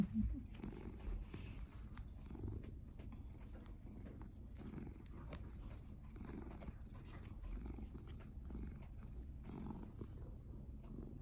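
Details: Domestic cat purring continuously, a low rhythmic rumble that swells and fades in regular pulses throughout, in a quiet room.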